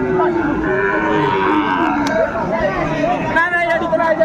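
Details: Sahiwal cattle at Aftabganj livestock haat on 4 May 2024, during bargaining over a bull calf: drawn-out, nasal lowing that wavers through the first seconds, mixed with loud market crowd and talking men.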